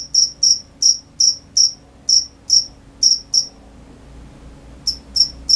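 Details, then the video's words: Cricket chirping at night: high, shrill pulsed chirps about three per second, then a pause of over a second before the chirping resumes; quiet background. "The sound of crickets at night"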